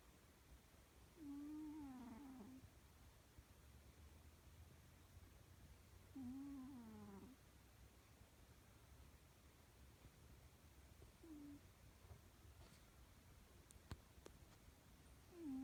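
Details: Domestic cat sleeping and snoring: a soft, wavering nasal tone with a faint whistle, rising then falling on each breath. Snores come about every five seconds, four in all, in a quiet indoor setting with low background hum.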